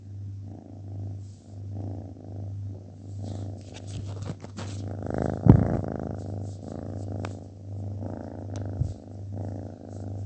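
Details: Domestic cat purring steadily, a low continuous rumble with rhythmic pulsing throughout, soft faint background music and a brief louder rustle midway.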